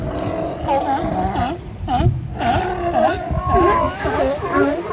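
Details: Sea lions resting on the sand at Kiddie Beach, Oxnard, California, keep up long, overlapping moaning and bawling calls. The calls bend up and down in pitch and form a continuous rough chorus.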